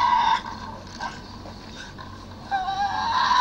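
A Tasmanian devil gives harsh, nasal screeches: a short burst at the start, softer grumbling in between, then a longer, strained wail building to the end.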